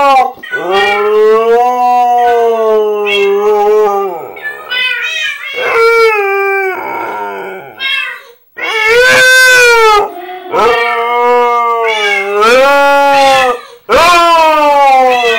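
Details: Pet husky howling indoors in response to Minecraft cat sounds: long, wavering, harmonic howls that rise and fall, in several drawn-out phrases separated by short breaks, with higher yodel-like notes near the end.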